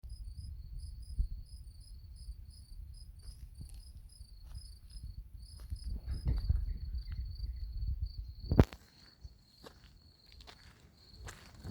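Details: Crickets chirp in a steady, high, thin trill of pulses on a humid morning after heavy rain, beneath low cloud near a small rushing river, over low footsteps and wind rumble.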